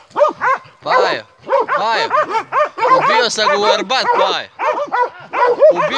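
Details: Hunting Montenegrin Mountain Hounds of kennel 'Sutorman' baying in bursts of high, arched, ringing barks, several dogs overlapping, with a man's voice mixed in.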